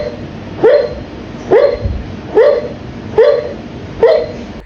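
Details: A sleeping dog making a run of five muffled yelping woofs, each a short upward-sliding yip, evenly spaced almost a second apart, over a steady low background hum.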